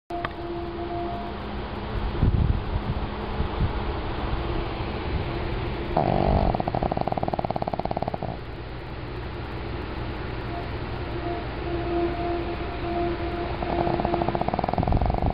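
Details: Pug named Emma snoring in her sleep, tired after a long day of socializing with new friends. Rough, fluttering snore bursts come near the start, around six to eight seconds and again at the end, over a steady humming tone.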